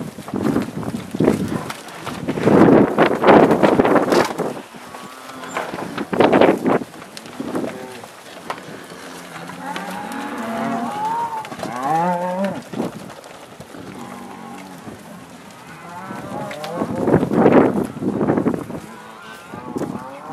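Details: Angus cattle on a northeast Kansas farm being let out onto spring pasture, 2015; scattered mooing with wavering drawn-out calls in the middle, mixed with thumping hooves and background bustle.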